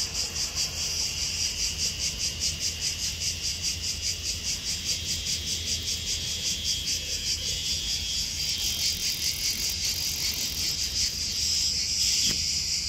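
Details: Cicada recorded in Athens, Greece, 11 August 2023: a bright, high-pitched rasping buzz pulsing steadily about two and a half times a second, with a brief louder swell near the end.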